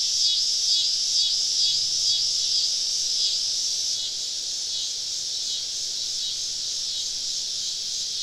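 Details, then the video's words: Cicada chorus on a summer evening, recorded while camping deep in the woods: a bright, hissing wall of buzz, faintly pulsing for the first few seconds, then settling into an even, continuous drone. "Southern Evening Summer Cicada Symphony"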